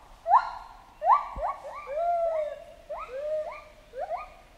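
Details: Jungle chimpanzee giving short, loud, upward-swooping screams, each with a bright harmonic stack, spaced about a second apart with softer overlapping calls between them.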